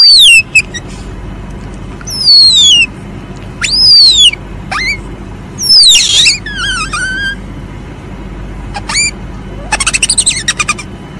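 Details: Asian palm civet giving a run of sharp squeaks that slide steeply downward, with one buzzy, trilled burst and a quick ticking series near the end, against constant low hiss.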